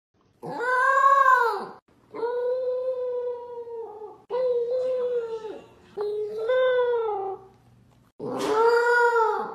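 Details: A female Corgi puppy howls while eating, apparently out of happiness over her food, giving five long, wavering howls that each bend up and down in pitch.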